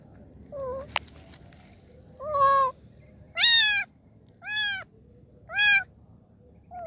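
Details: Kitten asking for help, meowing loudly and insistently: six harmonic-rich meows at roughly one per second, with a sharp tap near the start.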